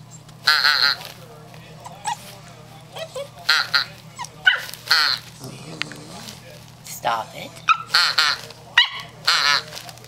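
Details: First barks from Stormy, a female German Shorthaired Pointer puppy aged 8 weeks: bright, harsh little yaps repeated about every second, mixed with people's voices and a low background hum.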